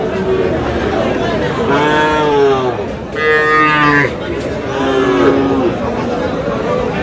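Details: Sahiwal bull calves at a cattle market in Aftabganj, Dinajpur, Bangladesh: several drawn-out harmonic moos, one rising sharply, over a constant crowd of voices and market chatter.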